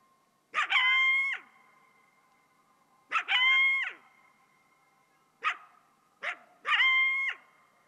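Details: Coyote letting out high, sharp yelping cries in short bursts, each a quick rising squeal, repeated about every two to three seconds with brief barks between.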